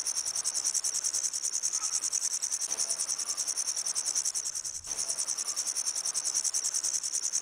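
A grasshopper gives a steady, high, dry buzzing made of rapid pulses that scarcely pauses.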